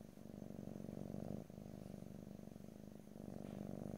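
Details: Pet cat purring in stereo, a continuous low vibrating rumble whose rhythm shifts at each breath, with two short breaks between inhale and exhale phases and no voices present.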